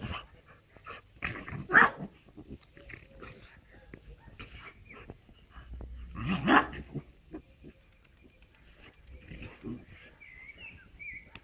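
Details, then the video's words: A Moscow watchdog and Amstaff cross plays with a French bulldog: rumbling growls and harsh barks, with a loud bark near two seconds and another gruff outburst midway, soft scuffling and faint chirping whistles later. "Moscow watchdog x Amstaff vs French bulldog play"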